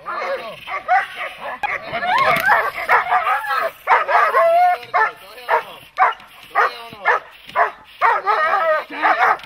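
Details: Dog in protection training, barking hard in rapid, sharp bursts, about two a second and somewhat uneven, with a few strained, whining barks mixed in. A person speaks early on.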